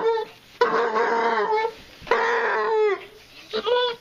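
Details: Female basset hound indoors, making this noise every time she chews on her tail: long wavering howls with rich harmonics, two main drawn-out cries with a short rising yelp at the end.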